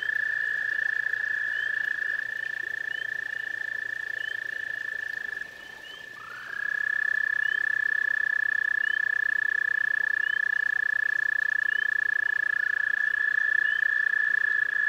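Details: Toads visiting a garden pond, producing a continuous even trill of fast pulses that breaks off for about a second before a second trill starts, rising slightly at onset, with faint higher chirps repeating in the background.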